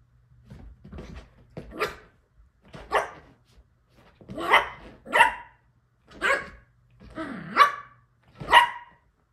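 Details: Yorkshire Terrier puppy playing on a couch with her Shorkie sister; about seven short, high, sharp barks and yips spaced roughly a second apart, plus a faint low hum.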